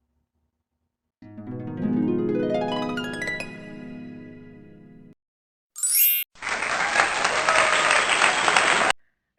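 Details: Plucked harp-like music sweeping upward, then a short high chime and a loud burst of broadband noise like applause, without any animal voice.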